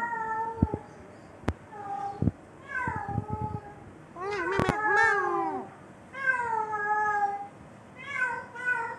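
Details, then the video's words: Domestic cat giving a mating call, drawn-out harmonic meows that rise then slowly fall, several in a row with short gaps, mixed with sharp clicks and knocks early on. "اصوات القططcat mating sound"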